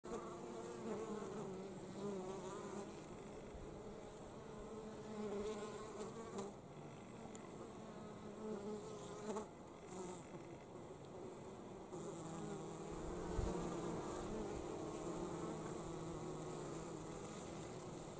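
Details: Honey bees bringing pollen back to the hive in winter: a dense, continuous buzzing hum with a steady low drone and wavering tones, swelling and easing slightly, with a few brief louder bursts.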